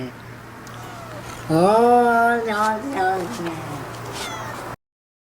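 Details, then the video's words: Domestic cat giving one long, drawn-out meow of about three seconds. It is strongly harmonic, swells in pitch, then wavers and falls in a few short inflections, like talking. A low steady hum sits underneath. "Top 6 talking points cats moment"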